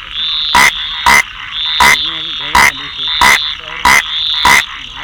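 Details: Rain frog giving abrupt, rasping croaks, some in quick pairs, eight in five seconds with irregular gaps, while a continuous thin high whine and soft lower trills run underneath.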